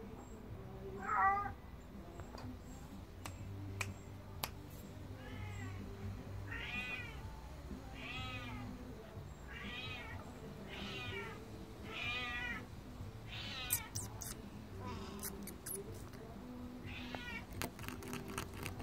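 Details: A Devon Rex cat stalking a fly makes repeated brief, wavering, trilled chirps about every second and a half, over a low background hum and a few faint clicks.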